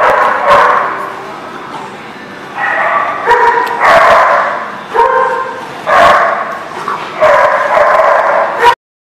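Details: Dogs barking at a dog lot on 1/3/20: loud, harsh, tonal barks and yips come in quick overlapping runs, dense and repeated over a constant background hum, with a faint voice now and then.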